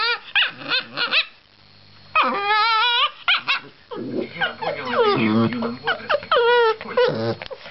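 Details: Chihuahua guarding his girlfriend: sharp yaps, then a long wavering whine-growl, a brief lull, and more warbling, strained yelps and barks toward the end.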